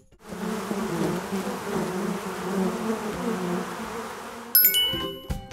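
A bee's steady, droning flight buzz hums low and continuous, ending with a bright chime.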